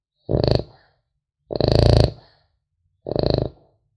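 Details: Three throaty snores from a sleeping French Bulldog puppy, the middle one longer and more drawn out, each a gritty, vibrating rasp separated by short pauses of quiet.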